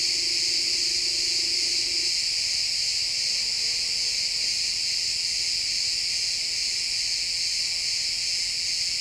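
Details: Sunset in a pine forest with crickets chirping as a continuous high, shimmering drone of many overlapping trills; a soft low tone sounds for the first two seconds, then a faint brief note.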